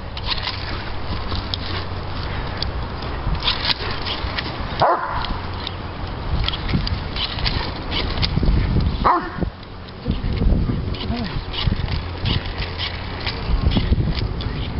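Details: Diesel, a three-year-old male Doberman Pinscher, throwing a complete fit over bubbles; rough, broadband bursts of barking and whining come and go over a steady low rumble, with sharp breaks near five and nine seconds.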